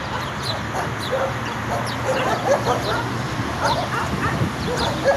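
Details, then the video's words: Angry, aggressive dogs barking: a dense run of overlapping sharp barks and short yips, steady and loud throughout, over a constant hissing, rumbling background. "The sound of angry dogs barking"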